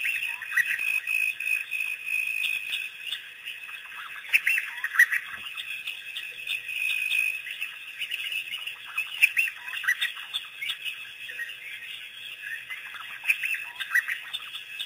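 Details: African wild dogs, also called Cape hunting dogs, arrive as a pack at Pete's Pond for the first time after their April 5, 2008 release by researchers. Clusters of thin squeals and chirps rise and fall over a steady high hiss.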